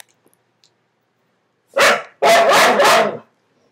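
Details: Dogs under a bed bark at each other: after a quiet start, one short bark followed by three quick loud barks in a row.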